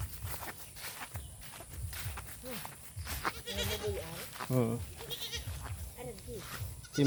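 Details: Farm-raised domestic goats, a fairly long line of them, bleating: several wavering, harmonic bleats bunch together midway, some short and rising, over steady background noise while a person talks nearby.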